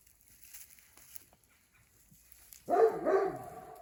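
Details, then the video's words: Caucasian Shepherd dog in Montana chasing off big critters, quiet rustling for over two seconds before a loud, rough double bark with rich harmonics bursts in near the end. "Caucasian Shepherd chasing off the big critters"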